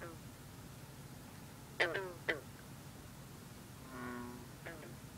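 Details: Night chorus at a misty pond where a green frog sings with bullfrogs and other green frogs. Two short, twangy notes close together, a longer droning call a little later, and a faint final note over a steady hiss.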